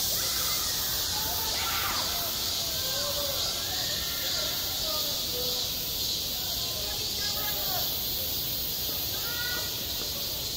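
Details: At a school playground in midsummer, a continuous high, sizzling cicada chorus fills the air while children's voices and calls rise and fall clearly over it.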